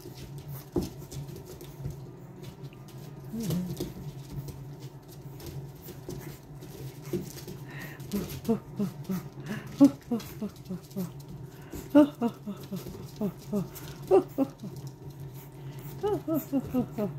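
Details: Boston Terrier puppies, a litter of two from Lily and Lil Red, playing indoors in a small room: short, high yips and whimpers come in quick bursts through the second half, over a steady low hum, with a person's voice early on.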